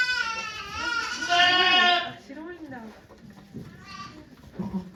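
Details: A goat, Okayu, at Yoshigake farm during the birth of her two kids on 3 May 2023: one loud, wavering two-second bleat, then low murmuring voices and faint sounds.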